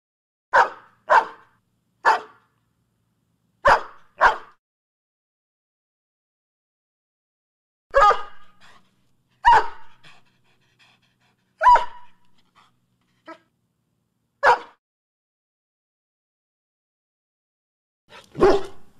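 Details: Barking dog from a set of sounds to get pet dogs barking: a quick series of sharp barks, some doubled, then spaced single barks with short gruff tails and gaps of quiet between them.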